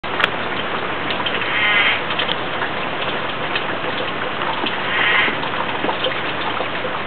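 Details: Arizona spadefoot toad near Tucson, Arizona, during a monsoon rainstorm gives loud, short, nasal, bleating calls through the steady hiss of heavy rain.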